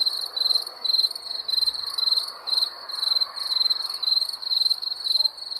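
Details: High, shrill chirping of wild crickets, each chirp a short buzzy burst of rapid pulses, repeating about twice a second in a regular, slightly uneven pattern.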